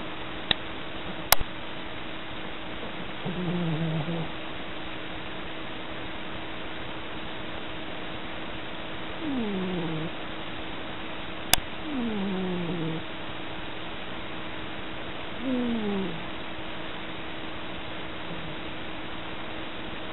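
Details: Sleeping tabby cat snoring while dreaming of chasing mice: a series of quiet, low sliding tones, some falling, spaced a few seconds apart, with two sharp clicks and a constant faint hum.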